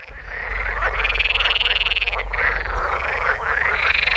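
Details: Chorus of male water frogs (Rana esculenta) calling in spring-warmed ponds of the Oldenburger Land, northwest Lower Saxony, from early May; dense overlapping croaking, rapid rattling pulses with repeated rising-falling tones, loud and continuous.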